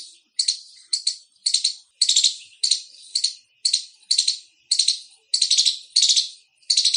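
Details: Loud chirping of an Indian squirrel: sharp, noisy, high-pitched chip bursts, some doubled, repeated roughly every half second in a steady run, with a quiet background.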